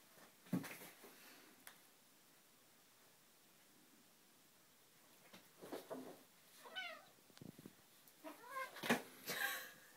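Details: Indoor cats, named Pierre and Marie, with a newly built cat tree; several short meows come in a scattered series, some wavering and rising-falling, amid soft clicks and handling noises in a small room.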